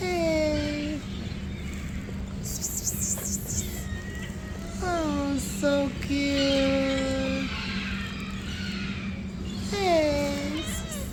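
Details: Hungry stray cats at a morning feeding give several drawn-out meows, some falling and one long level call near the end, mixed with a person talking and a steady low hum.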